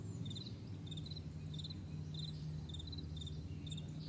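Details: High, clipped cricket chirps on a vast meadow at morning, short pulse groups repeating rapidly against a low continuous rumble.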